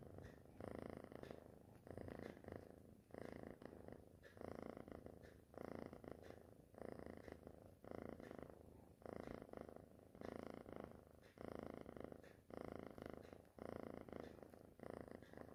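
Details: Purring kitten, the rumble coming in regular waves, each breath cycle roughly every 1.2 seconds, continuous and close through the whole stretch.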